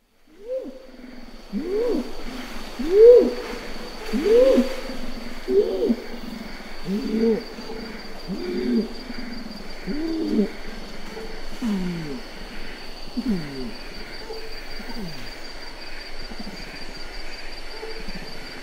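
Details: Adult male orangutan calling in Ketambe Forest, Gunung Leuser National Park, Sumatra: a series of deep, moaning pulses, about 45 per minute, swelling over the first seconds, then slowly weakening and sliding lower, with a thin steady insect whine behind.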